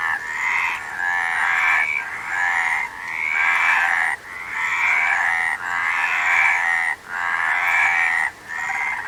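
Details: Many frogs croak at once, a rattling, trilled chorus that surges in bursts roughly every one to two seconds with short quiet gaps between.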